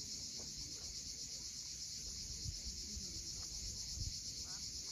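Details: At sunset above the steep shore of Cape Fiolent in Crimea, cicadas keep up a continuous, even, high-pitched hiss, with surf murmuring low underneath and a faint bird note or two.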